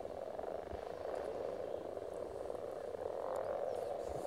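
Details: Frogs calling at a spawning site in Silton Forest: a dense, continuous chorus of overlapping croaks forming a steady low hum that swells slightly toward the end, with no other clear sounds.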